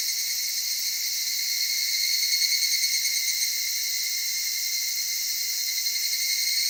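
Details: In Tokyo's Okutama cedar forest country, an evening cicada gives a soft, high, shimmering drone, evenly pulsed about three times per second and holding steady, with layered ringing tones and nothing else heard.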